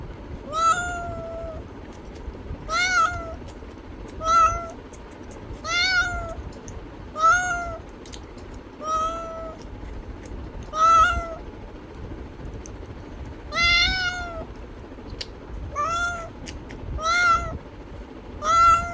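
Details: Cat meowing repeatedly, about eleven harmonic, slightly arching meows spaced one to two seconds apart over a steady low background rumble.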